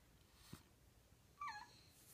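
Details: A French Bulldog, scared of the vacuum cleaner near his ball, gives a brief, high, falling whine, asking for help to get the ball.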